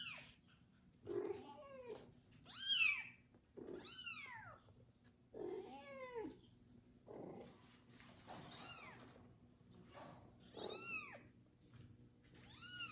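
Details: Kitten named Kubik, cared for by a pregnant foster mother cat after his first bath, meowing loudly: a run of high, arched, rising-falling cries, about eight calls in quick succession, with soft low rustling between them.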